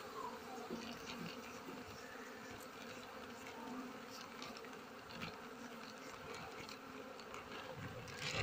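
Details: Honey bee colony disturbed during a honey harvest while the nest is cleaned and frames are separated into a box; continuous, even droning buzz throughout, with a brief louder handling sound near the end.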